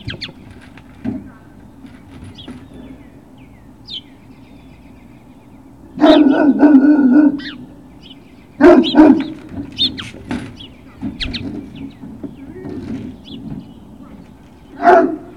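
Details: Great Dane puppies at Puppy Hill on 21 March 2019, late morning: a long, harsh bark burst around six seconds, then short clustered barks and yelps near nine and ten seconds and a final bark at the end, with quiet background between.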